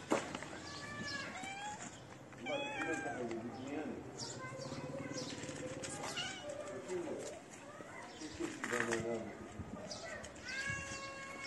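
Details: Feral street cats, one shy cat and her companion, give repeated short arched meows through the recording, several overlapping, with a person talking in the background.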